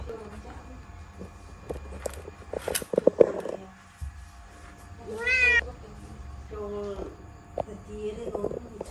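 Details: Pet kitten stuck inside a laundry basket at home, giving a loud rising-falling meow midway, with shorter mews, rustling and knocking of the basket, and a voice in the background.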